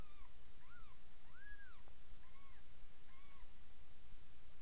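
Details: Newborn kittens, almost three days old, in a litter of seven being fed by their mother Miss Kitty in a new box indoors; a run of thin, arching mews, several short and one longer, repeated in quick succession over steady hiss.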